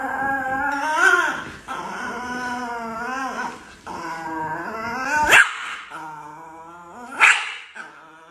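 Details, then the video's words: Angry Chihuahua in a funny pet compilation, giving a whiny, wavering growl with rising and falling tones and sharp yelps near the five- and seven-second marks; music plays faintly beneath. "The most Angry Chihuahua in the world"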